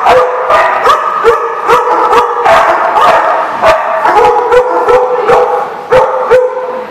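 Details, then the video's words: Dogs barking at The Barking Lot, recorded 4/10/14: loud, rapid sharp barks about every half second over seven seconds, with whining, howl-like tones sustained between them, suggesting more than one dog calling together. "The Barking Lot"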